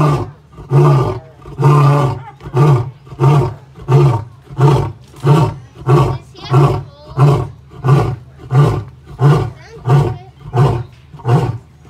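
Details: Male lion at the Indianapolis Zoo, kept apart from his females, roaring after getting up: a series of deep, grunting roars repeated roughly every 0.7 seconds, starting long and strong and becoming shorter and closer together.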